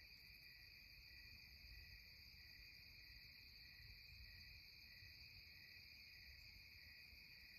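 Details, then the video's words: Twilight cicada chorus in the Catskills, a continuous high-pitched buzzing hum in stacked steady bands that never pauses or changes, with soft low background rumble. "Twilight Cicada Serenade"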